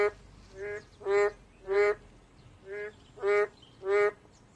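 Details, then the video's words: Boreal digging frogs honking in a nasal, bleating rhythm, softer notes alternating with louder ones, six calls in under five seconds. "맹꽁이 소리"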